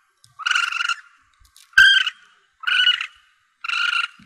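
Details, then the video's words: Young Asian palm civet used as a hunting lure gives four harsh, buzzy, harmonic mewing calls, each about half a second long and spaced roughly a second apart, against a silent background. "Suara Anak Musang Pandan"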